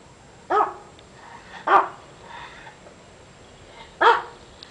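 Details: Ten-year-old rescued puppy-mill dog without vocal cords giving three husky, airy barks, about a second apart and then after a two-second pause, with soft breathy sounds between.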